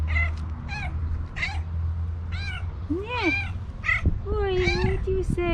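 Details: A stray cat, found hungry on a street and happy to meet the woman who feeds and adopts it, gives a run of short harmonic meows, about eight in quick succession, some rising and falling, over low background hum.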